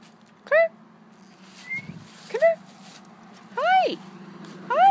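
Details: Clair, a standard poodle out on a fall walk, gives four short high whines, each arching up and falling, at uneven gaps across five seconds. A steady low hum runs underneath, with faint rustling between the cries.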